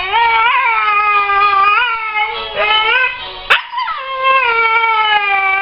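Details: A female Siberian husky howls in long, wavering notes that swoop up and settle, "singing" along to classical music played for her while her owner coaxes her to sing.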